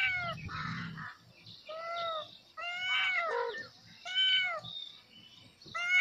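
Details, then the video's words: Kitten calling its mother with repeated arched meows roughly every second, clear stacked tones rising and falling, some overlapping higher mews, one short low rumble near the start. "Baby kitten calling mom"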